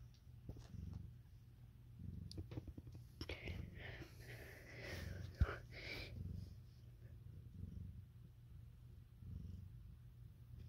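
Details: Domestic cat purring in a small indoor room where a Siamese and a calico cat have had kittens; low rumbling pulses run throughout, with soft whispered speech and a few clicks partway through.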